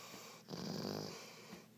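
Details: Dog urged to speak early in the morning gives one low, drawn-out grumbling growl of about a second in a small room, while a person keeps saying the command.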